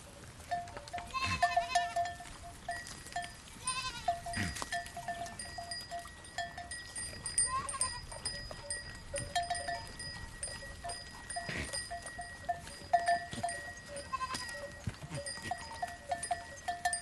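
Goats bleat in short, wavering, nasal cries against a steady ringing of bells.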